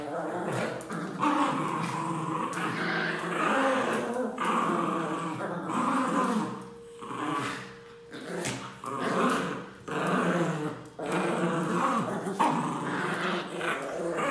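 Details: Pet Pinscher dogs at home growling in rough bursts with short yaps, uneven and rising and falling in loudness, with gaps of near quiet between. A person talks in the background.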